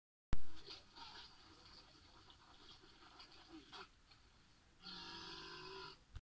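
A walrus lets out a low, droning burp after a few seconds of quiet rumbling and shuffling.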